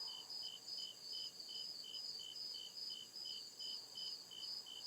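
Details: Cricket song from the deep woods after dark, crisp high-pitched chirps pulsing at a steady quick rhythm over an unbroken shimmering insect background.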